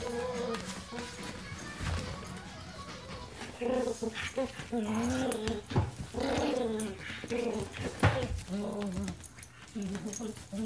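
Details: A German Shepherd mix and a Miniature Pinscher squabbling over a toy indoors: wavering, tonal growl-whines rise and fall in repeated bursts. A person speaks throughout, and music plays in the background.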